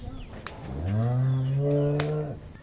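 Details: A dairy cow being sold from a farm in Bangladesh gives a single deep, steady moo lasting over a second, rich in low harmonics, with faint clicks and background noise.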